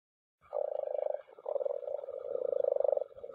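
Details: A group of common frogs (Rana temporaria) spawning in a mountain pond; low, purring croaks made of rapid pulses run into a near-continuous rattling chorus with short breaks.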